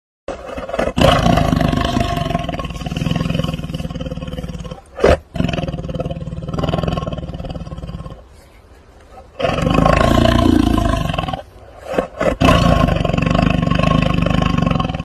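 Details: Tiger. A tiger gives long, deep roars, rough and rumbling, with strong low tones. The bursts come one after another, broken by brief quieter gaps.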